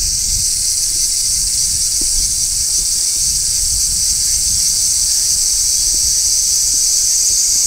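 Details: High, hissing drone of large brown cicadas singing on a tree in midsummer, steady and unbroken from start to finish, with only faint low background noise.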